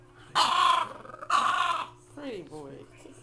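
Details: French Bulldog puppy singing: two loud harsh, drawn-out vocal bursts about a second apart, followed by a softer, lower, falling whine-like tone. Faint human speech may also be present.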